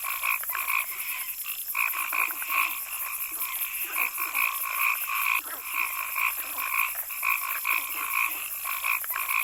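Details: Frogs in a forest give rapid, uneven croaking pulses, roughly two per second, in paired pitch bands, with a continuous high whine running underneath.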